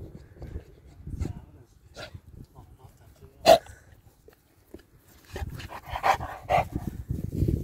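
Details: South African Boerboel, one of two dogs named Jax and Cally: a single sharp, loud bark stands out amid quiet rustling, then a cluster of shorter barks follows near the end over low thumping and movement noise.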